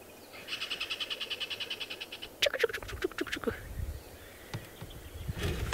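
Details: On safari, a tree squirrel (Paraxerus cepapi) gives a rapid clicking alarm chatter, many times a second. This alarm warns of predators such as snakes, leopards and eagles, and other birds; no second squirrel is calling.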